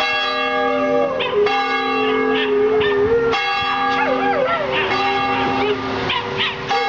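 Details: At East Hampstead Union Church in Hampstead, NH, the neighbour's dog Buster howls at the bell rung for worship. Drawn-out sliding howls with quick upward yelps sound under loud, sustained church-bell peals.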